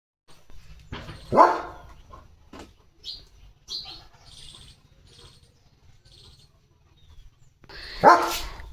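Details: Leo, a pet German Shepherd, romps playfully at home with a slipper in his mouth: two sharp, loud barks about seven seconds apart, with soft murmuring household sounds in between.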